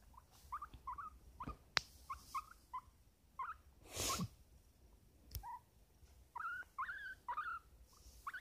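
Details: Guinea pig kept as a pet, resting on a lap and uttering quiet, rapid chirping squeaks in small clusters, interrupted by soft thumps and a brief rustling noise midway.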